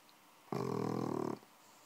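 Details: Sleeping bulldog puppy, six months old, giving one rough, rattling snore that lasts just under a second in a quiet room.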